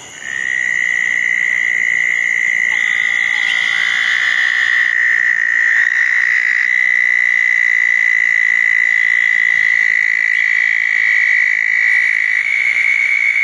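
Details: At small ponds after a thunderstorm on the night of June 10, 2014, a southern toad gives a long, steady, high trill that swells in within the first second and carries on unbroken to the end, with faint higher trills behind.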